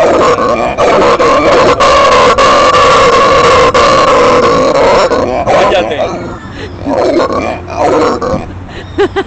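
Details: A pet howler monkey howls, which the owner suspects is because it has become an adult: a deep, rasping, drawn-out roar that breaks into pulsing grunts.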